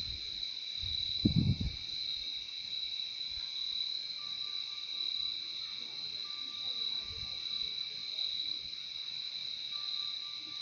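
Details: Crickets keep up a steady high trill from start to finish; a short low knock or bump stands out just after the first second, and a faint thin whistle-like tone appears intermittently in the background.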